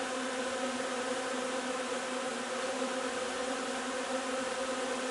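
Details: Buzzing honey bee hive during the linden nectar flow, 3 June; a continuous layered hum holding an even pitch and loudness for the whole stretch.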